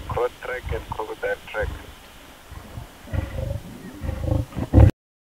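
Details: Lioness growling over a kill, her low rumbling growls coming in bursts in the second half, after a person speaks over the opening seconds.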